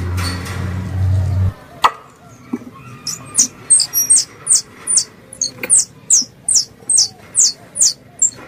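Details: Squirrel call used as a hunting lure in Indonesia: after a low rumbling start and a short gap, sharp high chirps each drop quickly in pitch and repeat about twice a second.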